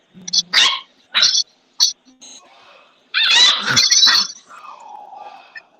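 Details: A dog, said to be a puppy's sister, barks for attention. Short sharp yips come in quick succession, followed by a longer harsh burst and a fading whine.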